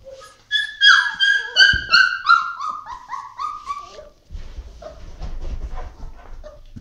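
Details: Dogo Argentino at a breeding kennel giving a quick run of about ten high, whining yelps that slide downward. After them come a brief pause, then low indoor rumbling and faint human voices.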